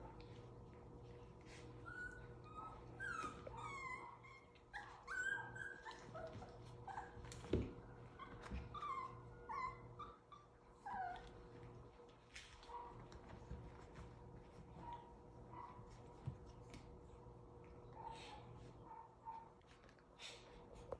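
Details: Havanese puppies aged seven weeks at play, with bursts of high wavering whines and yelps clustered early, then quieter sparse squeaks, thuds of movement and a constant low hum.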